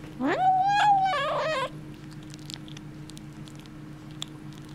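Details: Kitten with a bone, indoors in a small room, gives one loud harmonic-rich vocalization: a rising whine that holds steady, then breaks into a wavering, growly second part, lasting about one and a half seconds before quiet with a low steady hum.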